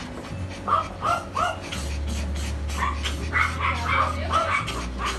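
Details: Poodle from a breeding service in Tan Binh District, Ho Chi Minh City, Vietnam: short yelping barks, roughly six in quick irregular bursts, with steady low music humming underneath throughout.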